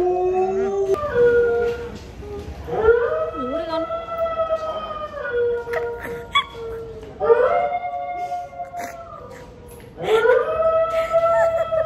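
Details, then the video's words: Pet Alaskan Malamute howling like a wolf after its owner plays a wolf-howl clip from the internet: long, steady, wavering harmonic howls repeated about every three to four seconds, with people talking in the background. "Mật Hú Như Chó Sói Siêu Ngầu - Trời Ơi My Alaska Dog HONEY Howls Like A Wolf"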